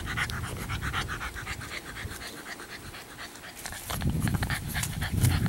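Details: Meredith, an 11-week-old female chocolate tri English Bulldog puppy at Siess Ranch, panting in rapid, rough low breaths that swell louder toward the end, with faint scratchy bursts above.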